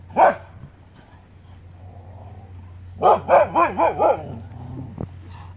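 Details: On August 13, 2017, on the Pacific Crest Trail in the Pacific Northwest, one of two huskies facing a mountain lion gives one sharp bark, then a quick run of five hoarse, rising-and-falling barks.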